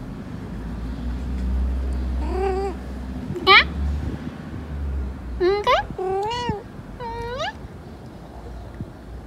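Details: Persian cat in heat meowing in short bursts, several quick rising-falling cries close together over a steady low background hum, with a person speaking nearby.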